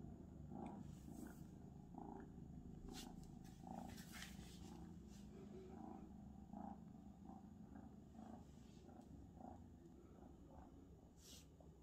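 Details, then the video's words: Abyssinian cat gives a low, throbbing purr in quick even pulses that never stops, with a few light taps and rustles over the top. "Как мурлыкает абиссинский кот"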